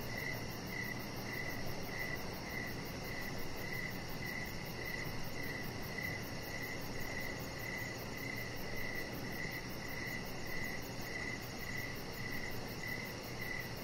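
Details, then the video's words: Crickets in the evening outside on a deck, chirping in a steady high-pitched pulse train, close to two chirps each second, over a constant low hum of ambient noise. "Cricket Sounds"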